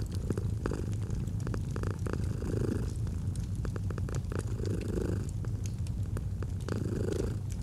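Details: Domestic cat purring gently beside a fireplace: a steady low rumble swelling with each breath about every two and a half seconds, with sharp crackles and pops from the fire throughout.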